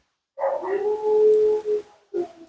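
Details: Mila, a talkative female Siberian Husky at her second-ever groom, vocalizing during a bath: a drawn-out, steady whining howl lasting over a second, followed by a short, rougher second utterance after a brief pause.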